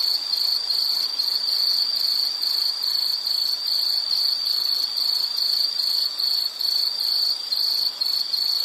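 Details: Soothing insect calls: a piercing high trill pulsing rapidly, a little over two bursts per second, steady in loudness, with a light hiss underneath and nothing else clear.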